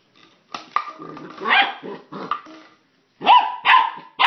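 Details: Puppy worked up over plastic bottles gives rough, noisy growling barks, then three clear, high, ringing yaps near the end.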